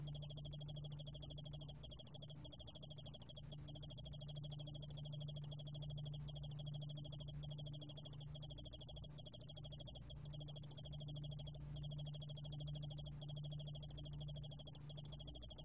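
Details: A ground cricket (Dianemobius furumagiensis) trills in high, fast-pulsed bursts of about one to two seconds, divided by short silent gaps, against a low continuous hum.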